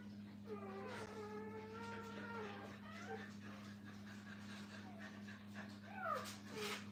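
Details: Young puppies with their mother whine in drawn-out, slightly falling cries, then shorter yelps, while rustling and a low steady hum fill the kennel background.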